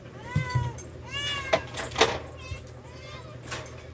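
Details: Several short, thin meows come from rescued cats during feeding, mixed with sharp clicks and knocks and a low constant hum.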